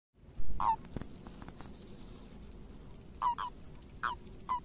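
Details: Common toads in breeding frenzy during their spring migration, giving short, clipped croaks around a mid pitch in small bursts: one early, then a cluster of three near the end, over a faint background hiss.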